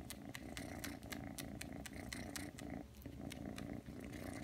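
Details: Ragdoll kitten Aki, three months old, kneads and suckles indoors, giving an even, throbbing purr dotted with crisp sucking clicks and one brief pause in the rumble.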